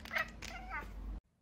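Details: Domestic cat in a compilation of funny cat reactions, giving short harmonic meows, one bright call near the start and a wavering drawn-out one mid-clip, with background noise before an abrupt cut to silence.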